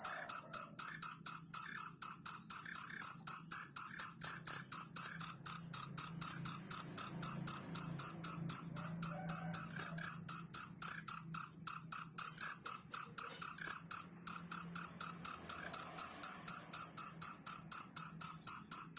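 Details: Cricket chirping in the morning, kept as a jangkrik kalung: a loud, shrill, pulsing trill repeated about four times a second in steady bursts, with a faint low hum underneath.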